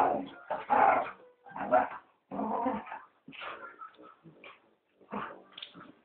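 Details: Fighting dogs give gruff growls and snapping barks in uneven bursts, roughly one a second, with short whimpering notes in the gaps near the end.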